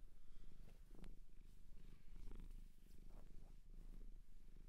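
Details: Close-miked purring from a domestic cat adopted from a Japanese shelter: a deep, rhythmic vibrating drone with slight swells, and a few small taps and rustles.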